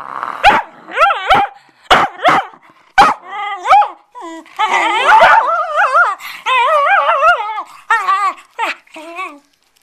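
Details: Bedlington Terrier at play with a cloth: a run of quick sharp barks opens, then long wavering, warbling whines and yelping growls rise and fall, ending abruptly.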